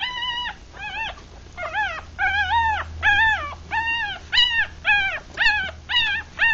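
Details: Three-day-old puppies, a Rat Terrier and Chihuahua cross litter of six with eyes still closed, feeding; high squeaky whimpers with rich harmonics, arched and slightly falling, repeated about twice per second in a steady run, low hum beneath.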